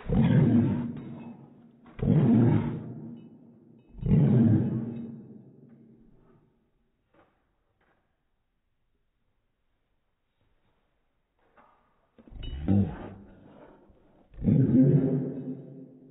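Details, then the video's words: Airedale Terrier barking, played back in slow motion: deep, drawn-out, roar-like bursts about two seconds apart, three at the start and two more near the end after a silent pause. "Airedale, Barking in Slo-mo"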